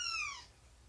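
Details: Short, bright cat meow that slides downward and fades within half a second. Recorded indoors on the morning of 2017-09-24 around nursing and play with Shelby, a rescued two-year-old mother cat, and her three-month-old kittens.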